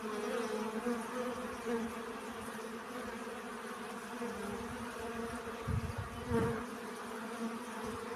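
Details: Honey bees busy gathering pollen make a dense, constant hum with several overtone layers. Short bee buzzes rise close in and a low rumble bursts briefly near six seconds.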